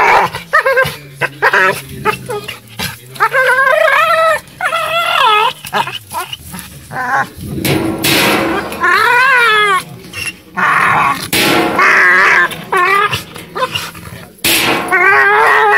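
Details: American Staffordshire Terrier, angry while on a table, giving a long run of wavering, moaning whine-like cries with bending pitch. Bursts come one after another, with short gaps, brief noisy thumps and a steady low hum underneath.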